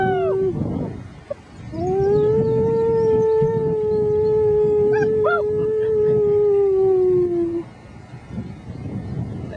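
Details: Howling with a human companion, 6-week-old German Shepherd pups hold a long, level, mournful note for about six seconds, sliding gently downward at the close, with a brief yip in the middle and a short earlier howl.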